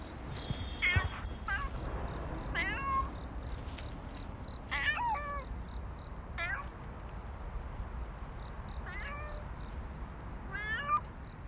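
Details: Nero, a stray cat, outdoors in autumn, giving about six short meows spread over eleven seconds. Each cry is clear and harmonic, rising then falling. A steady low background rumble and faint, evenly spaced insect chirps continue throughout.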